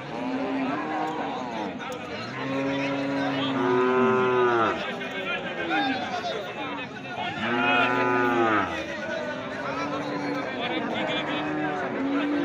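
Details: Large cattle at the Hardattapur livestock market lowing: two long, deep harmonic moos, each about two seconds, rising then falling. Crowd chatter and voices continue throughout.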